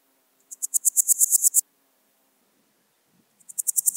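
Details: Swiss gold grasshopper (Podismopsis keisti) singing at Wildhaus, Switzerland, on 7 October 2022: a high, dry rasping phrase of about ten rapid pulses lasting one second, swelling in loudness, then a second phrase begins after a pause.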